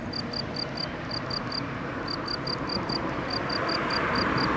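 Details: A male field cricket (Gryllus campestris) near Bern on 9 June 2013 sings clear, high chirps in quick bursts of three or four over a low rumble.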